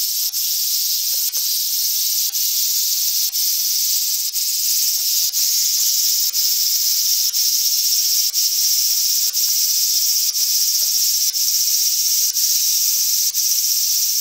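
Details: Large brown cicada (Graptopsaltria nigrofuscata) in Japan: a continuous, harsh, sizzling buzz held at a steady level, with brief dips roughly every second throughout.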